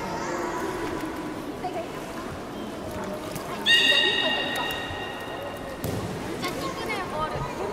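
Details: Beluga at Port of Nagoya Public Aquarium, public training session, 18 July 2016, 13:30: after murmuring crowd noise, one clear harmonic tonal call starts abruptly and holds steady for about two seconds, then the crowd chatter continues.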